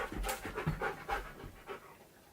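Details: Siberian Husky panting while being trained to play a piano, breathy rhythmic huffs in short bursts roughly every half second, with a woman's encouraging voice nearby.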